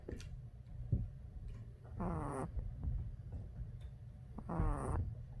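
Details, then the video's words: Boston Terrier puppy asleep after tiring out, giving two raspy, tonal snores of about half a second, spaced roughly two and a half seconds apart, with faint low rumble and small rustles between breaths. "Boston Terrier baby snores/ Puppy snoring"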